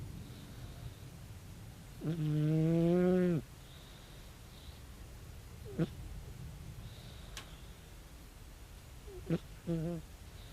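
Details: Sleeping calico cat Tabi, aged 16, gives one drawn-out, low, nasal snore lasting over a second, rising slightly at its end, followed by short faint snorts and soft breaths in a quiet room.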